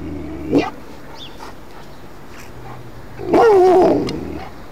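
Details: An Alaskan Malamute reacting to ringing church bells gives a short gruff bark, then a wavering, talking howl.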